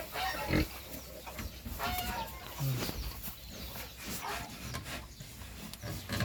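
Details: Heavily pregnant sow close to farrowing, a Meishan crossbreed, giving low, short grunts at scattered intervals, mixed with a woman talking and clattering farmyard noises.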